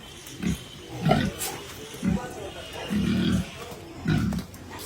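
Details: Pietrain and Large White gilts on a pig farm, penned together; a series of low, short grunts repeated roughly once a second, with a man talking in the background.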